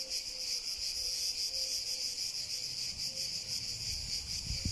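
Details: Clear, sustained high-pitched cicada buzz, steadily throbbing in quick regular pulses, with only faint low background noise and a soft thump at the very end.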